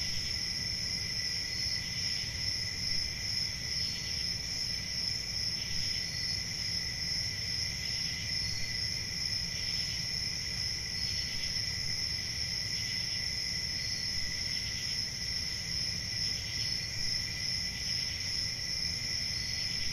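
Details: Crickets on a summer night, a steady unbroken chorus of high shrill trilling with a second thinner band beneath, faint pulsing swells roughly twice a second, and a soft low rumble in the background.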